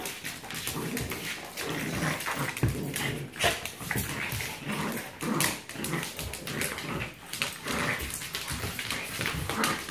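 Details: Three pet dogs, Braun the Yorkie, Dyna the Black Lab and Molina the French Bulldog, play-fighting indoors, two against one; dense scuffling with rough growls and snorts throughout, steady clicking and thumping of paws, a small room.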